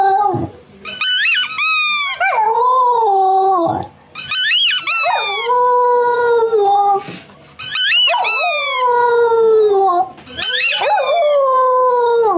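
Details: Siberian Husky Mimi howling while watching funny husky videos: a series of wavering, yodel-like howls, each rising sharply then sliding down into a sustained tone, repeated roughly every three seconds with short gaps between.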